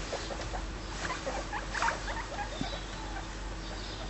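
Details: Pet guinea pigs romping and nibbling in a pile of hay indoors; soft short squeaks over steady rustling and pattering of hay, with a faint constant hum underneath.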